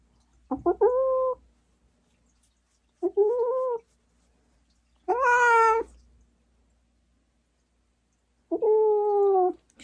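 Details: Large former stray cat, a Norwegian Forest Cat, held indoors while its chin acne is treated, gives four drawn-out harmonic meows and yowls, each about half a second to a second long, spaced a few seconds apart in a quiet room.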